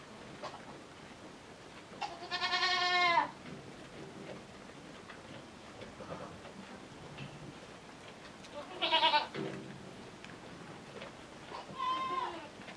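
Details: Miniature goat kid kept indoors for warmth, being taken to suckle its mother; three quavering bleats, a long loud one, another about six seconds later, then a softer shorter one, over quiet room noise and faint clicks.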